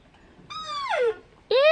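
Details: Very hungry young Rusa deer on a farm, calling loudly to be fed and to suckle from its mother: a loud nasal bleat sliding downward in pitch, then a second bleat starting abruptly.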